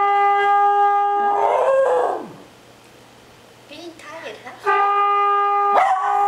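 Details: Fred, a pet dog adopted in February 2010, howls along to a trombone: wavering, sliding howls rise and fall beneath and between long, steady trombone notes, with a short quiet gap where only the dog's voice wavers.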